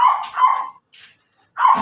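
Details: Pomeranian in Labrador, Pangasinan, Philippines, giving two quick high yaps back to back, a brief soft breathy sound, then another sharp yap after a short pause.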